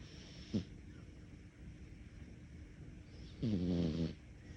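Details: Snoring from a sleeping cat: a short snort near the start, then a longer rasping snore with a gently falling, wavering tone; hushed indoor setting.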